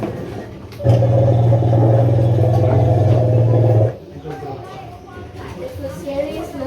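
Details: An elephant at Mandai Zoo, Singapore, gives a deep, buzzing, steady call lasting about three seconds, with a rapid pulsing texture.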